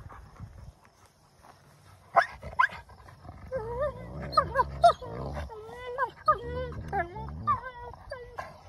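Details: Wolfdog vocalizing during mouthy play: a run of wavering, harmonic whine-like yelps that bend up and down, about a dozen packed into several seconds, over a low rumble with human voices in the background.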